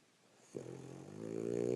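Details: Sleeping female French Bulldog after a rough day of play, beginning a snore: a short quiet pause, then a sudden onset swelling into a steady, harmonic, nasal rasp that grows louder toward the end.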